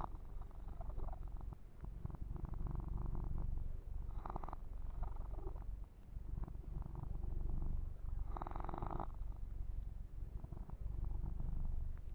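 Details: Steady low purring from the kitten Yumak as he is massaged and his fur groomed, recorded ear to ear; two soft swishing grooming strokes stand out above the continuous rumble.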